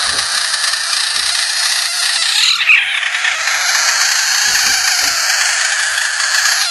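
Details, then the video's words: A frog screaming: one loud, shrill, harsh and unbroken wail held for the full length, with a brief wobble and dip in pitch midway. A few faint low thumps sound underneath. "Screaming Frogs"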